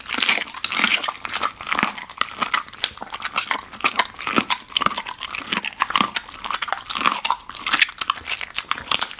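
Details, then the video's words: Raw-food meal for the Golden Retriever VC, its first ostrich heart, captured close indoors; dense crisp crunching and slobbery chewing pulse rapidly and unevenly throughout. "生骨肉 金毛 沉浸式 狗狗吃饭"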